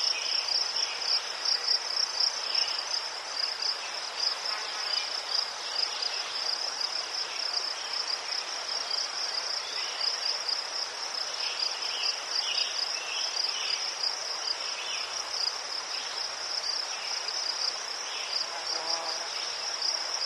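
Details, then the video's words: Crickets in a Ukrainian garden of chrysanthemums keep up an unbroken, high-pitched pulsing trill, while softer chirps from further insects come and go and a brief buzz sounds near the end. "Заспокійливий звук цвіркунів//The soothing sound of crickets"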